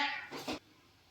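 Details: Female pet cat sulking and complaining after being told she will get no massage; a short harmonic meow, bright and nasal at first, then two brief breathy bursts that cut off abruptly into near-silence.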